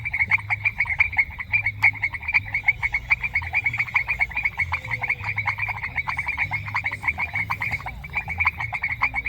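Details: Chorus of frogs in a semi-humid rural grassland, many overlapping rapid clicking croaks pulsing several times a second around a bright mid-high band, steady and continuous, with a faint low rumble beneath and no music.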